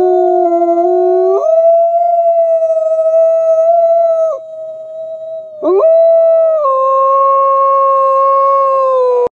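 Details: Gray wolves (Canis lupus) howl in long, sustained, overlapping tones, their pitches sliding up and holding steady.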